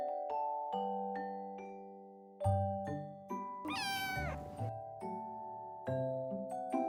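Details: A four-month-old male Scottish Fold kitten, just woken up, talks to its owner indoors with a single drawn-out meow that rises and then falls, heard over gentle piano music playing throughout.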